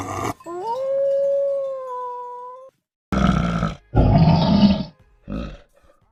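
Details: Cat or kitten from a compilation of meowing cats, some loud and some kittens calling for their mother: a long, steady, drawn-out wail held for about two seconds, followed by rougher, noisy bursts and a short final call.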